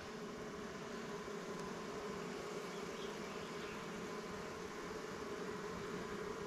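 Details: Continuous humming of honey bees at an opened swarm hive as frames with pollen and comb are checked; a thick, unbroken low-pitched buzz fills the whole stretch with no other clear sounds.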